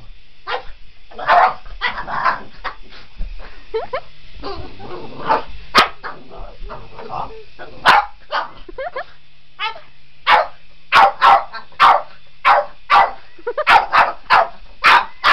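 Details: Boston Terrier chasing a remote control helicopter indoors, barking in rapid bursts, then loud evenly spaced barks in the final seconds, with a person talking early on.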